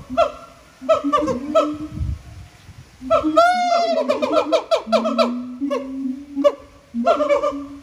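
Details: Siamangs singing in captivity at Japan Monkey Center, throat sacs making the voices huge: a low droning boom overlaid by sharp rapid barks and a long rising whoop mid-sequence, in pulsing bouts.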